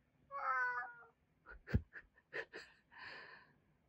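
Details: Male house cat begging for another meal just after eating; one clear, harmonic meow of about a second, followed by sharp knocks, clicks and short bursts of other household sound.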